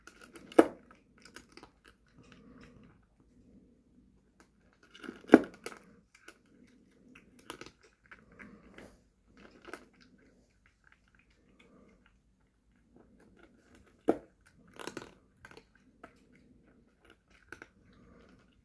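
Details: Tommy, a grown ginger cat, eats adult cat food indoors: crunchy chewing bursts separated by pauses, with sharp clicks and crinkles, several seconds apart.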